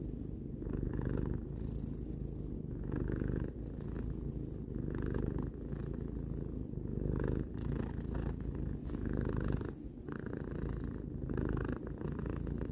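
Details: Close, continuous purr from a three-year-old house cat: throbbing low rumble with regular breathing rhythm, phases shifting every second or so, short quieter dips between breaths and a thin airy hiss layered over the buzz.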